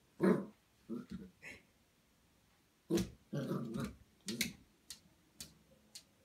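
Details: A two-and-a-half-month-old Golden Retriever puppy reacting to its own reflection for the first time indoors, giving short rough growls and sharp little barks in scattered bursts separated by quiet pauses.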